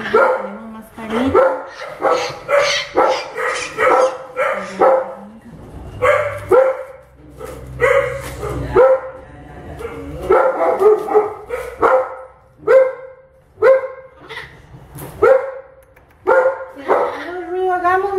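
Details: Milette, an orphaned infant howler monkey, protests during vet treatment with a rapid series of raspy, descending cries, some stretched and wavering, while people speak softly nearby.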